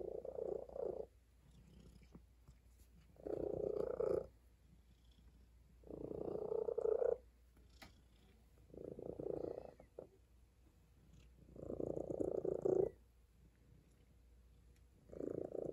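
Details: Purring from a tabby cat resting on a table comes in regular rumbling waves, about a second long and separated by brief near-silent gaps, over a low steady hum.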